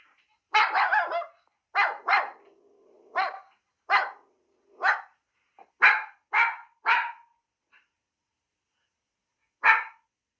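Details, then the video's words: Repeated sharp barks from a dog, at first in quick pairs and then single barks about every half second, ending with one isolated bark after a short pause. "Звуки собаки"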